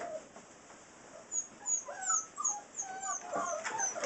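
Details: Six-week-old Saint Bernard puppies giving many thin, high whining squeaks and whimpers, overlapping in quick succession over steady background hiss.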